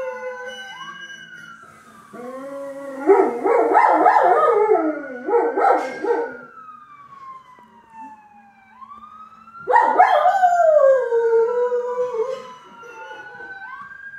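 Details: Dio, a dog, sings along with ambulance sirens. Choppy, pulsing howls come in a burst from two to six seconds. A smooth, falling howl follows around ten to twelve seconds, while the siren keeps looping up and down.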